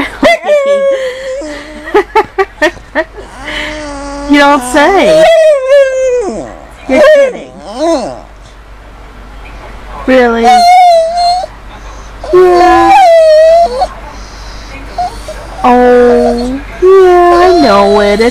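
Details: A dog talking in drawn-out, wavering howl-like moans. Tones rise, fall and warble in phrases of one to two seconds, separated by short pauses, with a person's voice in places.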